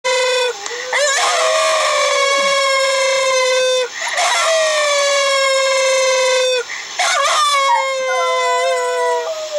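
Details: An old female Silky Terrier–Chihuahua cross howls back at a dog's howl playing on a computer, in long, steady, mid-pitched notes.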